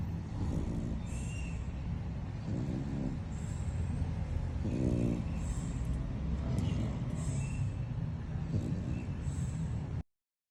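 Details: Tired out from playing, Lambo the French Bulldog snores in sleep; several rough, buzzy inhaled snores at irregular intervals sit over a persistent low mechanical hum.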